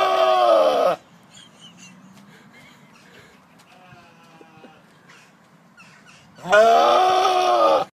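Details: Goat giving two loud, harsh, scream-like bleats, one lasting about a second at the start and another near the end, with quieter low sounds in between.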